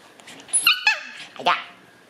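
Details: Young white Shiba Inu female puppy born 11 May, heard indoors giving a pair of squeaky, tonal yelps, the first held briefly and the second sliding sharply downward, with quiet room sound between.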